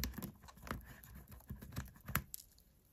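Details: Close, continuous crackly crunching and tearing as a white hamster bites into a tartlet made with carrot and beet, with a sharp louder snap near the end.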